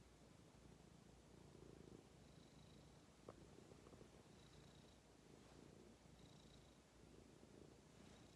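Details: Pet cat settled happily on a person's lap giving a soft, low purr that comes in gentle rhythmic waves, fainter and more masked, alongside a brief click and a faint high tone recurring several times.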